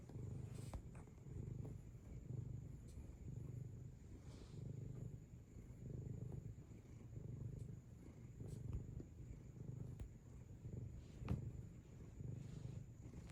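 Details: Cat purring as it makes biscuits, kneading rhythmically; a low, continuous rumbling purr that rises and falls in steady cycles, with faint clicks and small movement noises.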